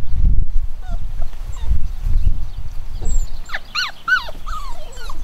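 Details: Chocolate cockapoo puppies, nine weeks old and home bred, give short high whimpers and squeaky rising-falling yips, clustered near the end, over steady low rumbling background noise.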